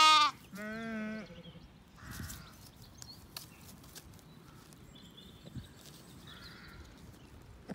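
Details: Ewes feeding with lambs at a dry dawn in County Kilkenny, Ireland; two quick bleats at the opening, the second wavering and lower, then mostly quiet farmyard ambience with faint distant calls.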